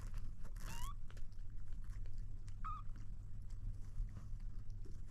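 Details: A kitten attempting to drink milk lets out two brief mews, the first rising and overlaid by a short burst of rustling noise, the second a quick wavering cry, against a constant low hum.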